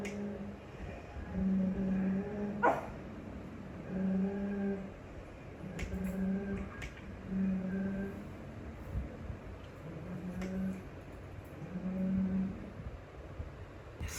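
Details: Pet pug, jealous of pugs and other dogs on television, reacting indoors in a small room; low tonal whine-like notes about half a second long, repeated every one to two seconds, with faint clicks and household background.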